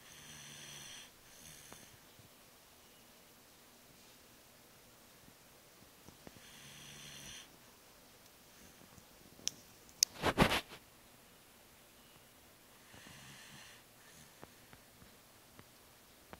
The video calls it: 我說小波呀...打呼聲也太大了吧...是很累,還是老了?! My snoring Shiba inu..